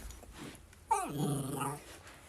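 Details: Household dog 'talking' back as its owner wakes a child: a sharp yelp-like onset dropping steeply in pitch into a sustained, low, harmonic grumble lasting under a second, woman's voice around it.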